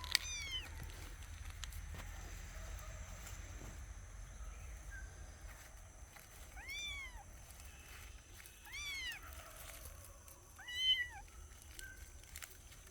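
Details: Kittens exploring outdoors in nature give three high, arched meows at roughly two-second intervals, each with stacked clear harmonics rising then falling, over a steady background hiss and faint rustling.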